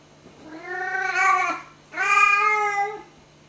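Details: Domestic cat indoors, talking to a moth flying over her head: two long, drawn-out, slightly rising meows, each about a second, with a short pause between and a quiet steady hum beneath.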